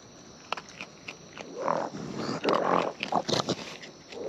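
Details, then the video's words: Raccoons in the wild feeding at close range: loud, rough bursts of crunching and wet smacking, several strong chews bunched together, with short pauses between mouthfuls. "Wild Raccoons & ASMR Chewing Sounds"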